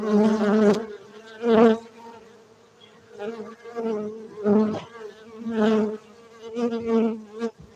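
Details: Cultivated honey bees in Bener Meriah, Aceh, Indonesia, droning with a rich harmonic hum; repeated loud swells roughly every second as individual bees fly past near the microphone over a constant background buzz.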